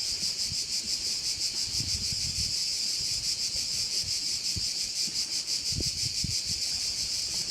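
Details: Crickets at a Korčula bay produce a constant piercing trill with a quick regular pulse, steady in loudness; light wind noise rises now and then in the low range.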